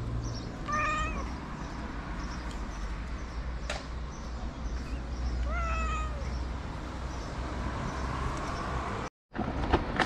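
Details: A white cat begging to get food: two drawn-out, wavering meows about five seconds apart over a constant low hum, with a few sharp clicks and a brief dropout near the end.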